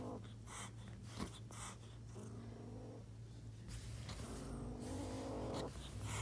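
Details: Angry kitten, a domestic cat, hissing in repeated short noisy bursts through the first half, then low, drawn-out tonal growling swelling toward the end over a steady low hum.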